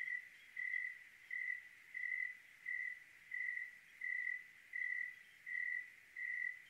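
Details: Single cricket on a clear Oregon night giving about ten clean, evenly spaced chirps, each a short high-pitched ringing burst, with almost nothing else audible.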